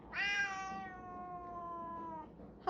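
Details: Indoor pet cat begging for food again after eating wet food, giving one long, steady meow of about two seconds that starts bright and slowly falls, ending with the start of another call.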